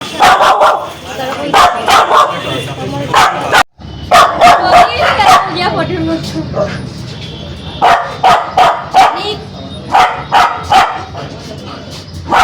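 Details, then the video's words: Aggressive, angry Spitz dog barking in sharp, harsh bursts of two to four barks, with a brief silent break partway through, then renewed rapid barking with short gaps. "Spitz Dog🦮 || Aggressive dog🐾 || Barking dog || Angry dog || Dog sound effect"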